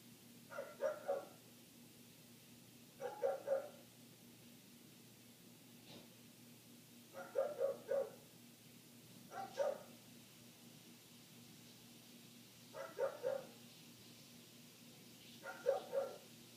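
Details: A neighbour's dog keeps barking, muffled by closed windows and heard from inside the house. Paired or tripled barks repeat about every two to three seconds, six groups in all, with a low steady hum beneath.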